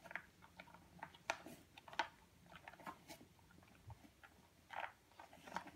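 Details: Purebred European Doberman Pinscher puppy, male, 8.5 weeks old, eating indoors: irregular crunchy clicks and wet smacking bites, roughly 86 per minute, with brief louder crunches in a small room.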